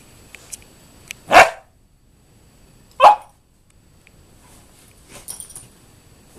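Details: Axel, an 11-week-old German Shorthaired Pointer puppy, plays wildly on a sofa in an office, giving two sharp, loud barks about a second and a half apart, with faint clicks and rustling between them.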